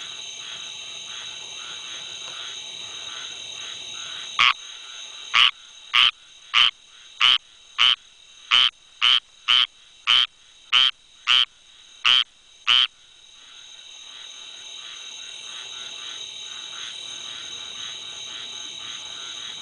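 A squirrel treefrog calls with a burst of short, harsh, duck-like notes, evenly spaced at roughly two per second for several seconds. A steady high-pitched chorus of other frogs or insects hums throughout.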